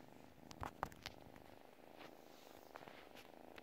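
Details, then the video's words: Sleeping pet cat purring contentedly, a continuous soft pulsing rumble, broken by a few brief clicks and rustles early on. "cat purrs while sleeping"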